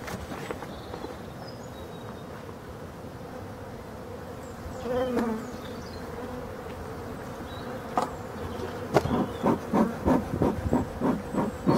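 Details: Honey bee colony at hive number 6 in Brittany, France, being given its last winter feed on 4 February 2021; a continuous mid-pitched buzzing drone, swelling briefly midway, then overlaid by a run of rhythmic knocking pulses near the end.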